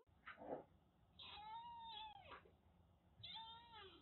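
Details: Rescued Siamese mix kitten, once living as a stray in Kagoshima, Japan, being bathed: drawn-out wavering meows with rich harmonics, one nearly a second long, over background splashing and room noise.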